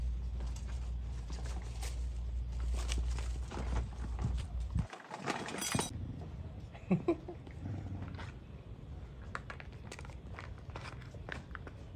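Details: Steady low rumble with scraping, scuffing and tapping noises and a few sharp knocks, and no animal calls.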